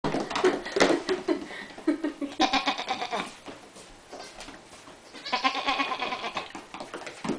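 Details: Two young female goats indoors in a kitchen, dressed in matching sweaters and playfully jumping; wavering, quavering bleats in two bursts, with laughter and a human voice around them.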